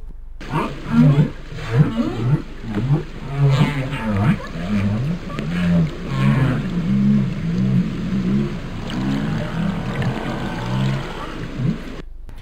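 Deep, trumpeting moans from a humpback whale rise and fall in a rapid string of short units. These feeding calls are thought to startle fish and stir them up, making the prey easier to catch.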